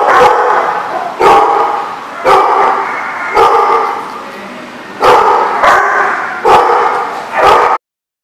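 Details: Dogs recorded on 16 May 2014 bark loudly and steadily, each sharp bark or short pair coming about once a second, before the sound cuts off abruptly.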